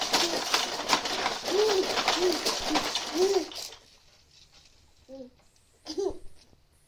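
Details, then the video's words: Willow, a female cat, makes strange noises: short, arched, chirping calls come about twice a second over a rustling background, then go quiet, followed by two more isolated chirps. "Willow and her strange noises"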